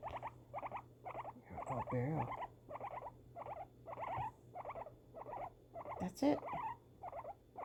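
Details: Pet guinea pig, female, during fireworks, making clusters of short, rough chirps roughly every half second. A woman talks over them around two seconds in, and a sharp noisy burst comes near six seconds.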